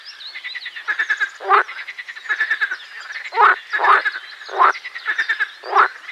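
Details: Pelophylax ridibundus, the marsh frog, in song: soft rattling pulse trains run almost without pause, broken by five loud, harsh croaks spaced about a second apart.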